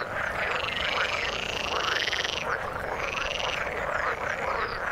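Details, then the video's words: Frogs calling in the water, one loud buzzy trill running about two seconds, then another shorter trill, over a constant background chorus of overlapping croaks. "Frog sound in the water"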